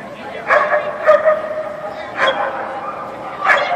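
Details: Standard Poodle Mystic barks repeatedly, short harsh yaps at irregular intervals, while competing in an AKC Jumpers With Weavers agility run, October 2013, over a murmur of voices in the hall.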